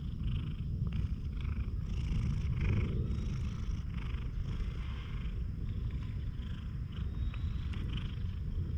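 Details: A one-eyed stray cat, unusually tame and friendly, purrs loudly into a GoPro HERO8: a rich, rolling low rumble, swelling slightly near the middle, with faint background rustle.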